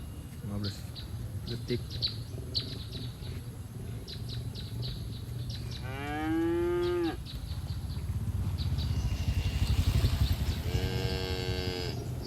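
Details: Herd of farm cattle grazing in a green field, enjoying the grass: a drawn-out harmonic moo near the middle, then a second shorter moo near the end, with scattered bird chirps and steady low rumbling background.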